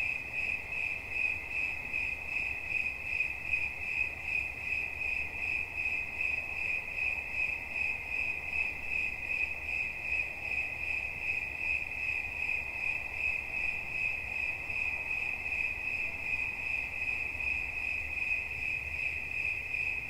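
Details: Cricket chirping steadily for relaxation: a continuous high, narrow-pitched trill pulsing about two to three times a second without pause, with a faint low rumble underneath.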